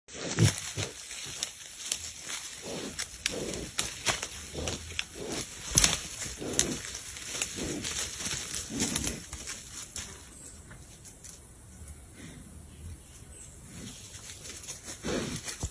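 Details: A wild boar met in deep forest gives a run of rough, irregular grunts and snorts, fading after about ten seconds.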